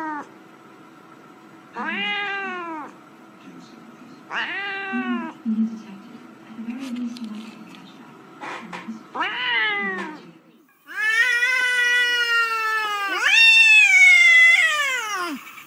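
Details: A domestic cat gives several arching, nasal meows, ending in two long, loud, drawn-out cries.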